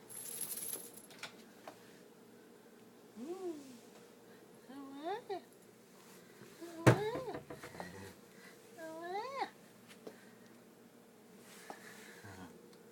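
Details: Pet cat meowing several times, each call a short arched rise and fall spaced a couple of seconds apart, with a person talking in between and a sharp knock midway.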